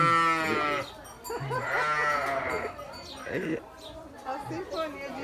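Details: Sheep bleats, a few long quavering calls separated by quieter gaps, with faint voices in the background.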